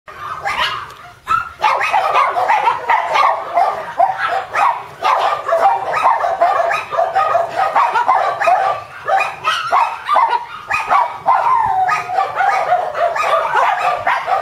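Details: Shiba Inu puppy, expected to grow to mame-shiba size, giving rapid high yips and whines in quick bursts of several per second, with short pauses near the start and middle; a faint low hum underneath.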